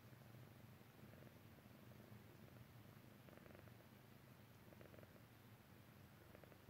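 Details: Purr of a Persian Chinchilla cat drifting off to sleep: a soft, continuous low throb in even pulses, partly blurred by a hiss of background noise.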